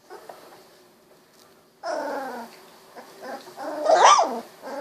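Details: Sixteen-day-old Golden Retriever puppies, eyes newly opened, moving about; after a near-silent start, a burst of low growly whimpering, then a sharp rising squeal near the end.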